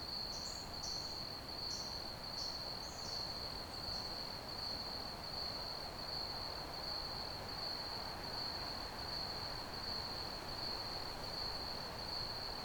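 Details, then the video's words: Ambient cricket chirping, an unbroken high-pitched pulsing trill held at one pitch and repeating regularly about eighty times a minute; a few short, higher chirps break in during the first seconds, then only the steady trill over gentle hiss. "Ambient Crickets Chirping Sounds"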